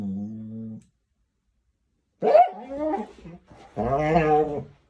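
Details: Dramatic Scottish Terrier indoors in a small room, giving a steady low moan, then after a pause a rising yelp into wavering howling grumbles and a final long whining howl.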